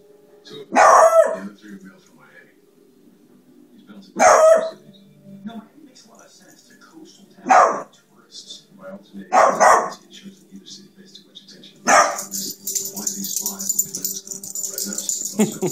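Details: Single loud barks from a pet dog repeat roughly every three seconds, five in all, the last followed by hissing noise and a faint low hum.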